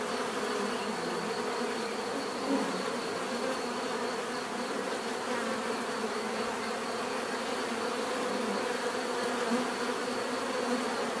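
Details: Steady buzzing of many bees, a thick continuous hum with faint wavering bands and a constant thin high tone, level throughout with only slight swells; no voices or other animals clear.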